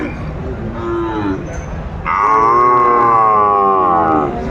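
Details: Sahiwal cattle at a crowded market in Kurigram, Bangladesh, December 2024. A short low moo comes first, then a loud, sustained, steady-pitched bellow lasting about two seconds, over market chatter.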